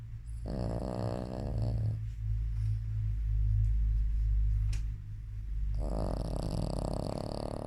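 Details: A Shih Tzu in deep sleep snores in low, rumbling breaths with a rough, buzzy rattle on each inhale.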